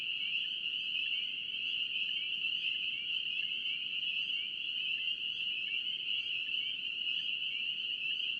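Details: Dense chorus of spring peepers in North Carolina: countless high peeps merge into one steady, shrill ringing band that never pauses, with a faint hiss of background noise beneath.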